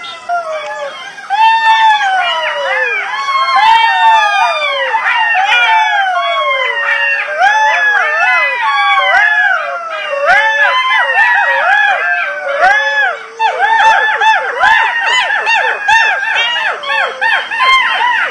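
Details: At dusk in a field, a pack of golden jackals about 20 feet away howls together in overlapping wailing calls that rise and fall, after running close; more calls had drifted from afar.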